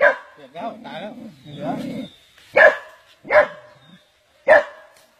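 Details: A dog that survived being seized in the jaws of a giant snake; excited human voices talk first, then three sharp, loud barks ring out roughly a second apart.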